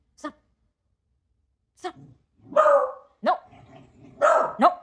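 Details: Beagle indoors at Halloween, fearful of unfamiliar people and hating the doorbell, barking repeatedly: sharp yaps and fuller barks in an irregular series of about six, over roughly five seconds in a small room.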